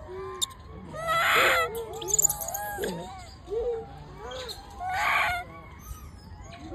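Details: Baby macaque in the wild, bullied by its mother and crying loudly. Thin whining squeals bend up and down, broken by two harsh, rasping screams about three and a half seconds apart, with brief clicks in the background.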